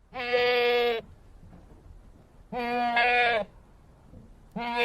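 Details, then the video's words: A goat makes three steady, nasal bleats of under a second each, evenly held in pitch with little wavering, separated by quiet pauses of about a second and a half. "sound of a goat, voice of a goat, how a goat says"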